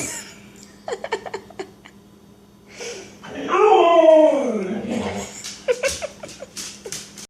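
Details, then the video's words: Jealous Siberian Husky making Chewbacca-like noises indoors: a loud, drawn-out, wavering groan that slides downward for about two seconds, with short clicks and scuffs before and after, and brief Spanish speech in the room. "Jealous Husky Makes Chewbacca Noises"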